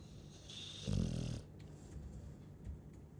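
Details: A sleeping Chow Chow gives one low, rumbling snore about a second in, lasting roughly half a second, followed by quiet, faint breathing against a soft room hum.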